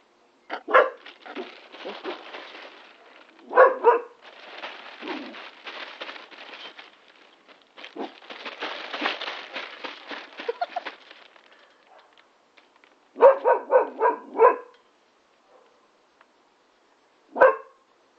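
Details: Labrador x Staffordshire Bull Terrier puppy playing with a trampoline: short barks and yips come in bursts, a rapid cluster of four near the end, between stretches of rustling and scuffling play noise.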